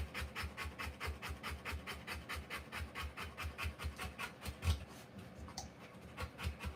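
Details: Rottweiler panting while giving birth to puppies: rapid, steady breathy puffs repeating in an even rhythm with a soft low thump under each breath, and a faint rustle near the end.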